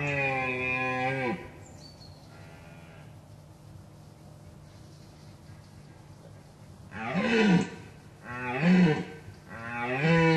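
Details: A red deer stag with excellent symmetrical antlers, approached closely from a ditch at Gemenc, Hungary, gives deep, harmonic rutting roars, one long bellow followed by three shorter ones.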